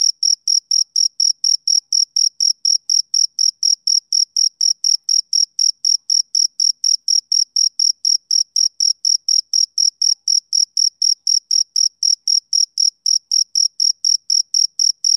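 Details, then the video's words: Fifteen seconds of a male cricket chirping on a summer evening, a monotonous shrill pulse repeated about four times per second without pause, steady volume, quiet background. "Cricket Chirping Sound Effect"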